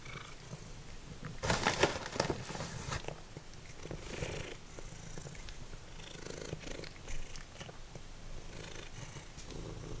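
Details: Deep, continuous purring from Simba, a once-feral cat, as he munches dried minnows like potato chips; a pulsing low rumble throughout, broken by a cluster of sharp crunches early on and softer chewing later.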